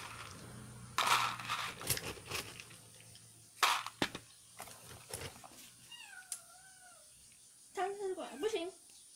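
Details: Domestic cat noisily demanding food before a meal: clattering and bumping first, then a wavering meow and a final pair of short, bending meows.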